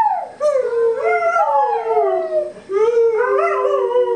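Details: Libbie, a pet dog, howls along to Happy Birthday sung for a three-year-old child indoors: two long, wavering, sliding howls, the first falling gradually, the second rising and then holding steady, separated by a short breath.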